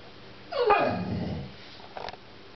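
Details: Pet American Pit Bull Terrier named Clover "talking" inside a small room: a single groaning, howl-like vocalization sliding down from a higher whine into a low rumble, about a second long, followed by a faint short noise.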